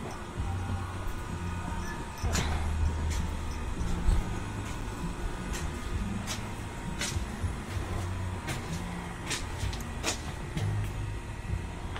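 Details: Low vehicle rumble with scattered clicks and knocks, and no animal calls.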